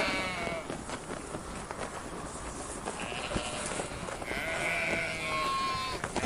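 Sheep bleating, wavering nasal cries overlapping one another against a rough outdoor background.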